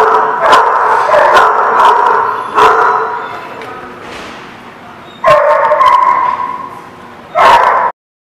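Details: Dogs at a kennel lot bark in loud bursts, sharp barks spaced a second or so apart, then two sustained noisy barking stretches near the end before sudden silence.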